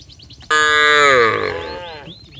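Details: A herd of village cattle going down to the paddy fields, one calling its friends with a single drawn-out moo lasting about a second and a half that sags slightly in pitch as it fades.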